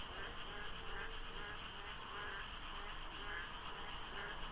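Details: Short stretch of frogs croaking in the pre-dawn dark at the Deokso highway interchange, Korea, during the rainy season; regular pulsed calls recur roughly every second over a continuous chorus and low traffic noise.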